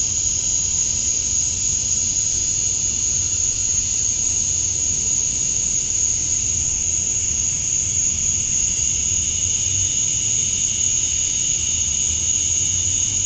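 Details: Cicadas chirping through summer dusk in Georgia, USA; males call to draw females. Constant dense shrill drone with several overlapping high bands that shift slightly in strength, plus faint low rumbling noise.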